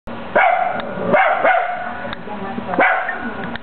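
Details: Male Italian Greyhound barking at himself indoors: loud, sharp barks with rich harmonics, about four in quick succession, with a short gap in the middle.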